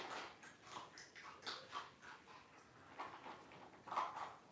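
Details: Newborn Cavalier King Charles Spaniel puppies, Blenheim and tricolor litters born September 2022, on a September 28 livestream with their mothers Robin and Daisy; a run of short, high squeaks and whimpers in quick bursts, with faint room noise behind.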